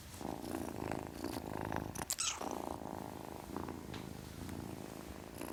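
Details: Kitten purr, a rhythmic low rumble interrupted midway by a short sharp burst of noise before the purring carries on.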